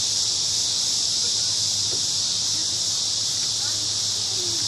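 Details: Crickets in a big cottonwood tree at a park in the evening, their song merging into one even, high continuous trill, with a faint low hum underneath.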